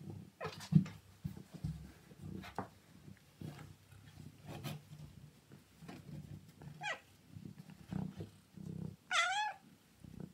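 A Siamese cat gives a short rising chirp, then a loud wavering meow over a low steady rumble.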